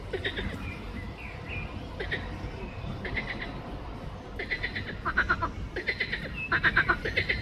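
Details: Pelophylax green frogs in Ljubljana Botanical Garden, 31 May 2024, with several rattling pulsed croaks that overlap and grow louder toward the end, mixed with a few faint chirps and a low background hum.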